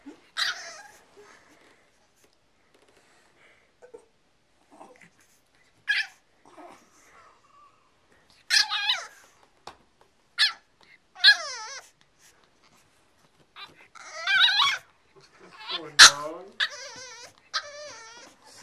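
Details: Six, a French Bulldog Boston Terrier cross puppy, trying to rescue his plush monkey toy from the stairs indoors; scattered whimpers early, then a run of loud, wavering, harmonic whines and yelps clustered toward the end.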